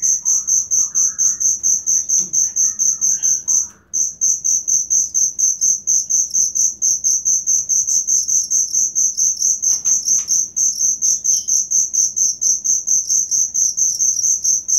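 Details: Cricket recorded as training material for songbirds, a rapid, steady high-pitched chirping pulsed about twice a second, continuous apart from a brief pause near four seconds, with faint bird notes in the background.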